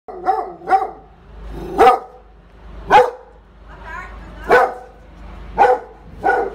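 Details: Neighbour's dog barking: single sharp barks and short doubled barks, repeated roughly once a second over a low background hum.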